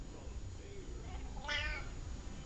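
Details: Talkative domestic cat giving one short, rising-then-falling harmonic meow about midway, with a person speaking Russian quietly before and after in a small room.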